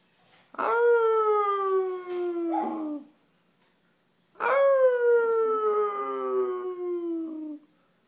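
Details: Benji, a dog, joining in on a howl: two long harmonic howls, each starting with a sharp onset then sliding slowly downward over about three seconds, separated by a short silence.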